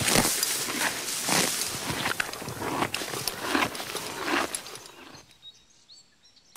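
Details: Grazing horse ripping and chewing grass in rhythmic crunchy bites about once a second, then the chewing stops and near silence follows for the final second.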